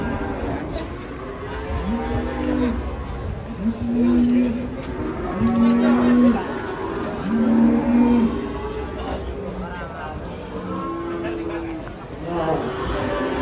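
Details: Raging cattle bellowing in a series of low, drawn-out moos, about five in thirteen seconds, each a steady droning tone, with people's voices and chatter in the background.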